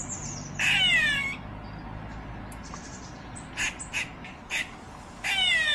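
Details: Squirrel with drawn-out harsh squawking cries that fall in pitch, rich in harmonics, mixed with a few short sharp chips between them.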